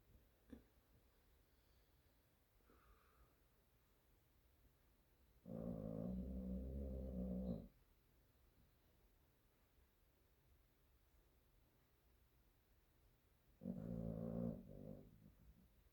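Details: Spotted dog asleep on an office floor, snoring in two long low rasping bursts of about two seconds each, separated by a quiet pause, with a faint click early on.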